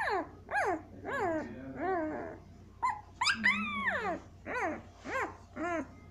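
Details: Siberian Husky puppies, 7 days old, squeal in high, arching whines, one after another, over a faint low hum.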